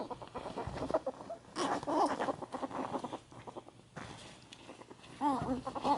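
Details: Sable ferret Ann and cinnamon ferret Kohaku in a rough post-bath wrestling match at home, May 2014; two bursts of rapid clucking chatter separated by a lull with faint scuffling.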